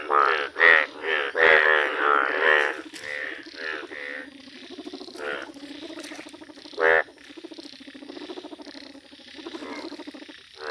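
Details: Yellow Indian bullfrogs croak in a village. Loud rasping pulsed calls open the recording, then fainter overlapping croaks continue in the background with one strong call midway.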